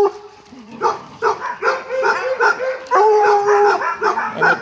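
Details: Several dogs in a dog resort nature park during a stick tug-of-war game, barking in quick rough bursts of about three per second, with some drawn-out whining notes between, and a person narrating over the play.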